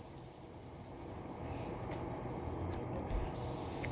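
A grasshopper gives a rapid series of high, thin, scratchy pulses, roughly six or seven each second.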